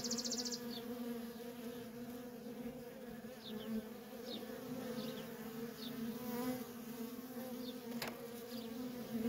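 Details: Feral colony of honey bees with constant worker traffic, giving an unbroken layered drone, scattered swishes of bees flying past, a short high insect trill at the start and one sharp click.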